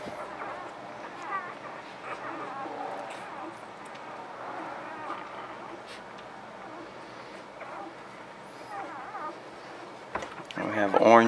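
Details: Newborn pups make soft, high whining squeaks throughout, rising into louder, sharper squeals near the end. A person speaks steadily in the background, introducing the boys of the litter.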